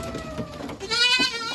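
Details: Young Boer-cross goat kids, sired by a fullblood Boer buck out of upgraded does, kept on a farm. Low murmuring at first, then a loud, strongly harmonic, wavering bleat rises and holds for over half a second. Faint rustling sits underneath.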